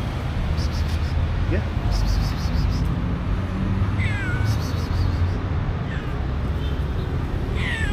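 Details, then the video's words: Shy, hungry calico street cat meowing, with a few thin, bending mews, one near four seconds and another near seven, over heavy low traffic rumble and some speech. "The shyest hungry calico cat who lives on the street"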